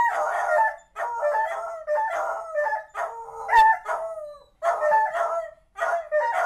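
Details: Pet beagles Ramsay and Sarah howl in loud, harsh, warbling bays with bending pitch, separated by short pauses, the two voices overlapping with no other sounds.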